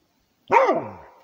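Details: A Rhodesian Ridgeback guarding its territory gives one full bark that rises briefly and then slides down into a drawn-out, fading tail.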